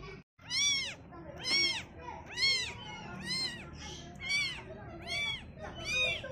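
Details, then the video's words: Kitten meowing while seeing the world for the first time: seven high, arched meows, each rising then falling, spaced about one second apart over a faint low background rumble. "baby cat Meowing"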